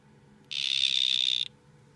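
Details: Male dart frog, one of two males facing off: a single buzzy trill of about one second made of rapid even pulses, steady in pitch, over faint background hum.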